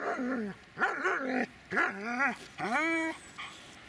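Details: Dobermann called Magmar Von Der Burgstätte voicing four short, arched whines in quick succession, each rising then falling in pitch with rich harmonics, separated by brief pauses, with a faint trailing note at the close.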